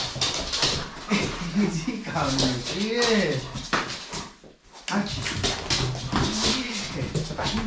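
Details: Archie, a German Shepherd, greets his owner home from work, jumping on him with excited, wavering whimpers that rise and fall, over a man's voice praising him; he greets him this way every day.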